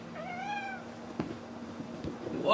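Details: Domestic cat: a single short rising-then-falling meow with clear harmonics, followed by clicks and knocks of movement; a person's voice comes in at the end.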